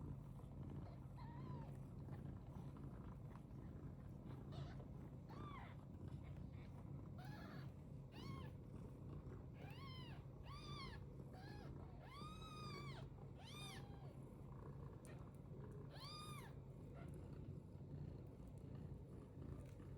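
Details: British Longhair cat meowing: a series of high, arching meows, sparse at first, then more frequent and louder toward the middle and end, over a steady low hum and some rustling.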